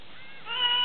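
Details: Tame lion cub giving a brief tonal whine, rising and harmonic, lasting under half a second near the end over a quiet background.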